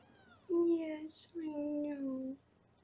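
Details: A kitten at a Los Angeles foster room, filmed on the live kitten cam while being weighed, gives two long, smooth, gently falling meows in quick succession, with a brief high squeak between them.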